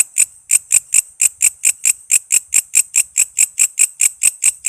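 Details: Walang kece katydid calling, recorded to tutor cage songbirds like cucak ijo and kacer: loud, high-pitched ticking pulses at roughly two and a half per second, clean with no other sounds.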